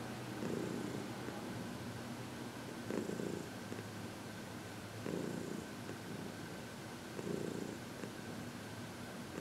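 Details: Heidi, a 14-year-old senior cat adopted from the Humane Society of New York City, purring contentedly during massage and reiki on February 22, 2021; low rumbling purr swelling in bursts about every two seconds, with a steady faint hum behind.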